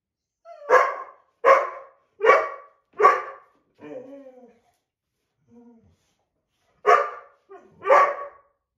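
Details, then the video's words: Boxer and black Lab mix quarrelling over a window seat: four rapid sharp barks, then low grumbling whines, a quiet gap, and two more barks with a short growl between. "White Boxer and Black Lab Mix Argue Over Window Seat"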